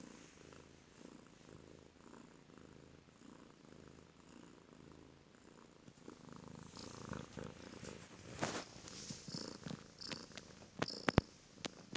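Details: A heavily pregnant rescued stray cat snores loudly while waiting to give birth. Soft, low rhythmic breathing pulses fill the first half, then louder rustling, handling noises and sharp clicks take over.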